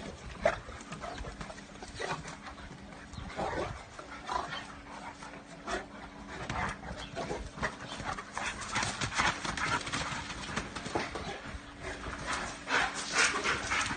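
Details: Boerboel playing with an American bulldog and Staffy cross, two dogs romping together; rough, breathy grunts, huffs and panting bursts come irregularly and grow busier and louder toward the end.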